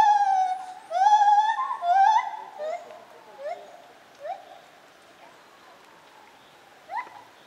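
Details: White-handed or lar gibbon at Zoo Opole, 2015, calling loudly with wavering, rising whoops rich in overtones, the strong opening hoots giving way to softer, spaced rising notes that fade, one last whoop near the end.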